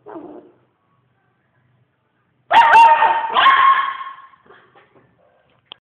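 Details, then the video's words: Dog gives a brief whine, then after a pause a drawn-out howl with a wavering, slightly rising pitch, trailing off into soft yips. "SnowBall Howls"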